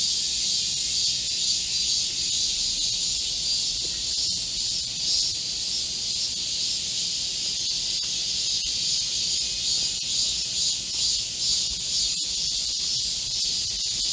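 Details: Korean cicadas in chorus in a green forest at midsummer during a heatwave, 25 July 2024: a dense, steady, high-pitched buzzing wash that never breaks, with faint ticks and clicks scattered through it.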